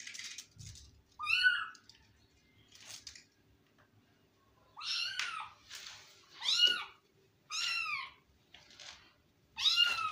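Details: Pet kitten indoors meowing repeatedly, about seven high, arched mews with clear harmonics spaced roughly a second apart across ten seconds, with faint room hum beneath.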